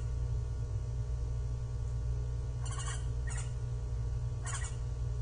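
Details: Japanese giant flying squirrel that climbs and glides, heard on 25 December 2023: three brief grating, pulsed bursts spaced about a second apart, loud against a constant deep background hum.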